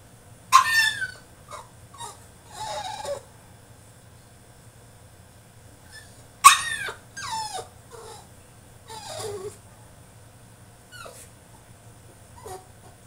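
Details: French Bulldog throwing a tantrum inside his cage: sudden shrill yelps burst out twice, each trailing into squeaky whines and grumbling whimpers, then softer short whines near the end, with quiet stretches and a constant low hum between.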